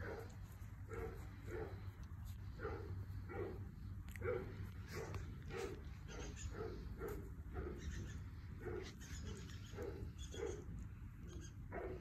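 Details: A Goldendoodle puppy (Golden Retriever mother, Standard Poodle father) gives a steady run of short, high yips and whimpers over a low hum.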